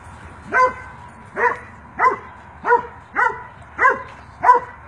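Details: Rhodesian Ridgeback mix, a seven-year-old spayed female in Irving, Texas, described as a devoted watch dog with some anxieties; seven sharp barks spaced evenly, roughly one every 0.65 seconds, over a quiet background.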